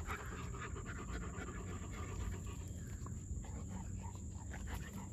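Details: A German Shepherd pants in fast, regular breathy pulses, some puffs a little stronger than others, with a low-frequency rumble and a steady high whine beneath.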